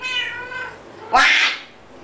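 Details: Pet cat talking with a loud, sharp meow that starts high and drops quickly after a softer drawn-out sound, with a person calling "hey" around it in a quiet room.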